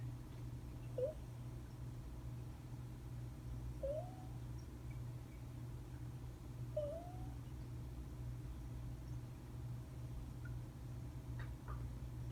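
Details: Domestic cat asleep and snoring, giving three soft, rising squeaks about three seconds apart with its breathing, over a constant low droning hum in the room.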